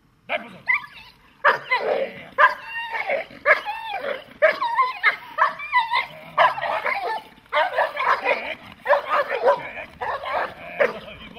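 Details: Dog barking during protection training: rapid, harsh barks mixed with higher yelping whines, coming in bursts about once a second with little pause between them.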